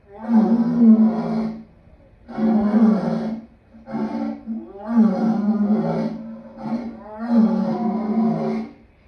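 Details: Lion giving long, deep, throaty roars in five separate bursts of about one to one and a half seconds each, with short silent gaps between them.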